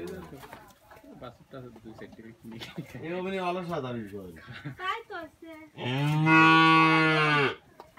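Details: Holstein Friesian calf offered for sale at a dairy farm in Bangladesh, mooing: several short lowing calls, then a long, loud, harmonic moo lasting about two seconds near the end, with a person speaking in the background.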